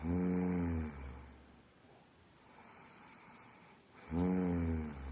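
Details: German shepherd snoring: a deep, harmonic rumbling snore lasting under a second, then a quiet pause of about three seconds before a second rasping snore begins.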